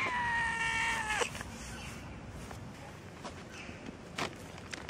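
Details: Tortoiseshell and calico cats out on the street: a long, even meow lasting about a second, slightly falling at its end, followed by quiet street background with scattered clicks and taps.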